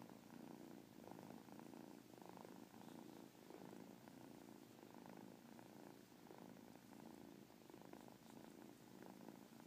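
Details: Domestic cat purring with a chirp within the purr; a steady low rumbling purr pulses continuously throughout, with faint brief chirpy accents on top.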